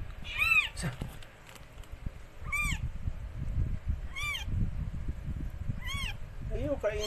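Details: Rescued stray cat Mikey during the birth of four kittens: four short, arched, high-pitched mews spaced roughly two seconds apart over rustling background noise, ending with a lower rising cry.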